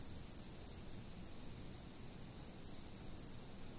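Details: Insect calls captured by a fixed camera: faint, brief bursts of rapid high ticks, a few grouped notes at a time, rising over a continuous shrill drone and quiet low background noise.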